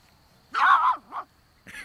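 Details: Great Pyrenees puppy, four weeks old, romping outdoors for the first time on a Middle Tennessee property; one drawn-out yelp, then a shorter one, and another cry starting at the end.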